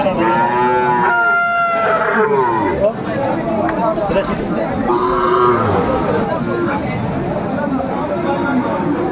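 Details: Friesian and crossbred bull calves at a busy Tuesday cattle market, Aftabganj, Dinajpur, Bangladesh, 10 September 2024. Two harmonic moos, one early and one midway, each lasting about a second, rise out of dense crowd chatter.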